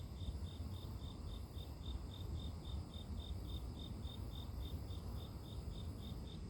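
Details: Chirps of a grass insect for sleep-inducing nature sound: regular high-pitched pulses, roughly three each second, unbroken across the recording, set against a deep continuous rumbling hiss.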